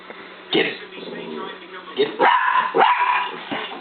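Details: Scarlet, a pet dog, barking at a laser pen: several sharp, bright barks in quick, uneven succession, mixed with a person's voice urging her on and a steady low hum underneath.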